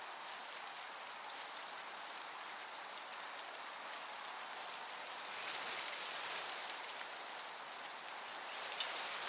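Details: Crickets chirping in a summer meadow under a gentle breeze: a steady, very high insect whine, with bursts of even higher pulsed chirps about every one and a half to two seconds, over a constant broad airy hiss.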